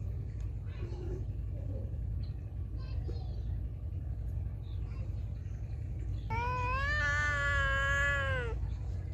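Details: Feral cat meowing loudly: faint scattered sounds and brief speech early, then one long, strong, steady meow of about two seconds near the end, rich in harmonics, over constant low rumbling background noise.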